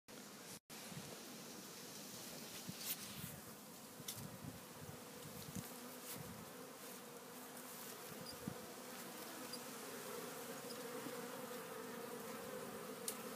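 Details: Honey bees at a Warre hive entrance in spring, April 12th, carrying in loads of pollen: a continuous droning hum with a steady low tone and overtones, and scattered short clicks and taps over it.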